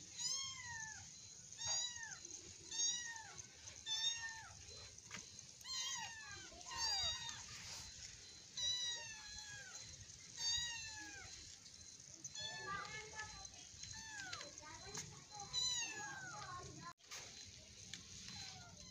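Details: Play-fighting kittens, one still crawling rather than walking: a long run of high, plaintive meows, each dropping in pitch, repeated roughly every second, a brief sharp knock near the end.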